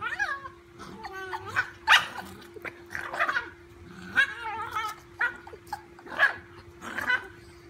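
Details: During rough play with a golden retriever puppy, a dachshund lets out high, wavering whines and yelps alternating with sharp barks and snarly growls, repeated in bursts every second or so, with a steady background hum.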